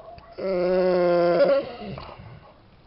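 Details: Bored Bernese Mountain Dog named Jessy gives a single low, drawn-out, moaning vocalisation lasting just over a second, even in pitch, fading into quiet rustling.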